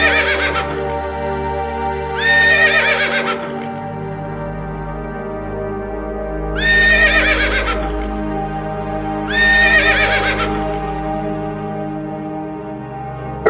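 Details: Three separate horse whinnies, each a bright, trembling neigh lasting about a second and a half. They come roughly every three to four seconds, with quiet gaps between them, over continuous soft background music.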